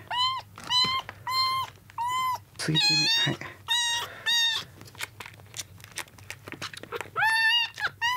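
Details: Kittens rescued drenched from a road, second day in care, crying while competing for milk: a steady series of strong arched meows, roughly one per second, some overlapping into a harsher cry, with faint suckling clicks between.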